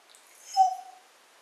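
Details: Siberian husky talking with its owner indoors while lying on a coffee table: a single short, smooth, mid-pitched vocal tone, slightly falling, lasting about half a second, between the owner's spoken remarks.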